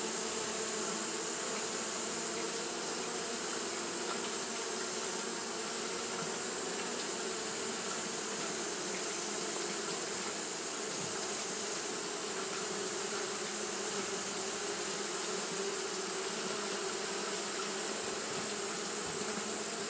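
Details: Long stretch of Japanese honey bees fanning in hot weather: an unchanging, full-bodied buzzing drone that never pauses, with a bright steady hiss high above and no other sounds standing out.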